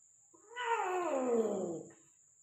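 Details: Persian cat in Gujranwala during mating, giving a single drawn-out wailing caterwaul about one and a half seconds long, harmonic-rich and sliding gradually downward in pitch, with a steady high electrical whine in the background.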